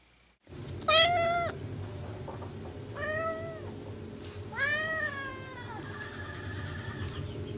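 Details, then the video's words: Orange cat named Vlaminck meows at Cocolo, the household rescue dog, trying to win his attention; three arching meows, the first loudest and sharpest, then two longer falling ones, with a constant low hum underneath. "Meow, I love you!"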